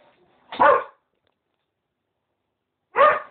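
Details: Male Cocker Spaniel barking while attempting to court a female Westie who is not interested; two loud, clipped barks about two and a half seconds apart, separated by silence.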